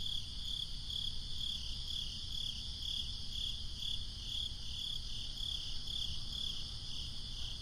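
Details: Crickets keep up a regular, high-pitched pulsing chirp on a breezy summer night, bursts coming about every half second against a continuous deep rumble of wind.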